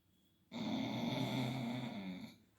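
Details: Female Labrador Retriever Leo snoring loudly during an afternoon nap indoors; one sustained harsh, buzzing snore lasting nearly two seconds, rising abruptly from silence and fading out.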